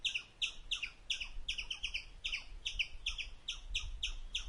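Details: An Indian palm squirrel gives sharp, high chirps in a rapid, uneven series over a low rumble while eating.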